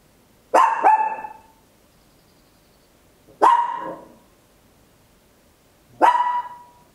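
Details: A small Papillon barking loudly indoors at home, recorded in stereo with an Olympus LS-11: three separate loud, clear barks, the first doubled, spaced roughly two and a half seconds apart, with silence between them.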